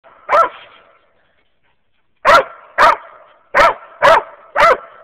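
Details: Hunting dogs on a squirrel hunt in Wayne County, Kentucky, a walker hound mix and a young mountain cur and black and tan mix: one loud sharp bark, a pause, then five more barks at about half-second intervals.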